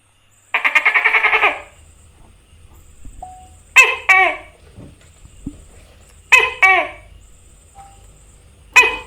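A tokay gecko gives a buzzy rattle, then loud, nasal two-note barks repeated every few seconds.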